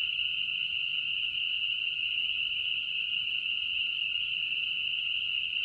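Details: Massed chorus of spring peepers in their spring mating season on Newfane Hill, Vermont, June 2007; countless shrill peeps merge into a continuous ringing wall of sound like jingling bells, steady throughout with no pauses.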